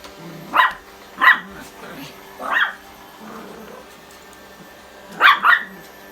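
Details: Pomeranian and Chihuahua play a chasing game across a vacuum cleaner. Sharp, high barks come singly at about 0.6, 1.3 and 2.5 seconds, then a quick double bark near 5.3 seconds, over a quiet indoor hum.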